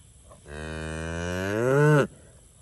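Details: Limousin and Angus breed cattle in a pasture: one drawn-out, low moo lasting about a second and a half, strongly harmonic, swelling louder and rising in pitch toward a sudden stop.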